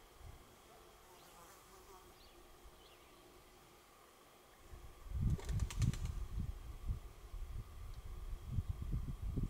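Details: Indian crested porcupine at night in its natural habitat in Israel. Steady faint hum for about five seconds, then a sudden burst of rapid, dry rattling clicks over heavy low thumps, continuing in uneven pulses to the end.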